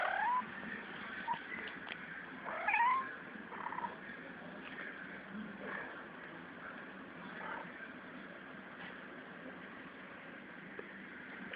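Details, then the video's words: A pet cat making a strange noise: faint, wavering meows with curved, rising-then-falling tones near the start and around the third second, then quieter murmurs over steady background hiss. "My cat makes a strange noise"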